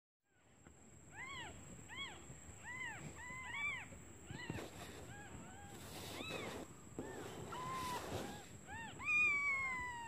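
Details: Newborn kittens calling for their mother out of hunger while she is away finding food: overlapping high, arched mews, several per second in bursts, some short and clipped, over rustling and a steady thin high whine.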